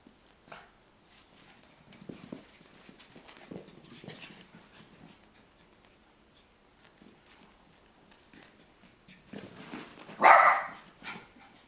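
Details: Three dogs playing together indoors, heard as scuffling, soft huffs and panting with a few short growly bursts, ending in one loud rough snarl near the end.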